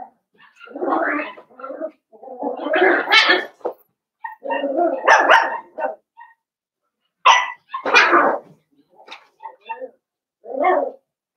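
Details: Five young blenheim Cavalier King Charles Spaniels, born on New Year's Eve and New Year's Day, vocalizing in their pen. Rapid, squeaky yips and little barks run in uneven clusters, with brief pauses in between.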